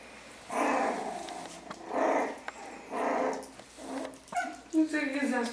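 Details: Playful Yorkshire Terrier puppies, one month old, wrestling indoors; several rough, harmonic growls of about half a second each, repeated roughly once a second, with brief yips near the end and faint household sounds.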